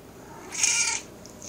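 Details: Elderly 16-year-old female house cat, hungry and wanting a snack, uttering a brief breathy high meow in a quiet room as her owner talks to her.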